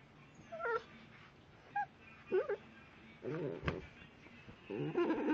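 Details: A blue-coated Staffordshire Bull Terrier puppy gives a string of odd, wavering whimpers and squeaky yips.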